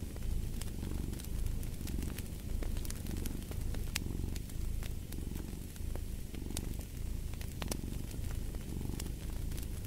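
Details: Deep rumbling purr from a cat, rising and falling in steady cycles about a second apart, accompanied by a crackling fireplace with scattered sharp pops and snaps.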